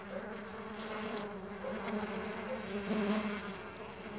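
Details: A dense, even drone of Mandaçaia stingless bee wings hums without pause, several overlapping buzzing tones shifting slightly as the bees fly about.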